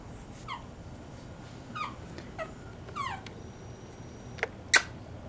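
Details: Seven-week-old Pekingese puppies at a breeder in Akron, Ohio, indoors: several short, high, descending squeaky whimpers with overtones, spaced about a second apart, followed by two sharp clicks near the end.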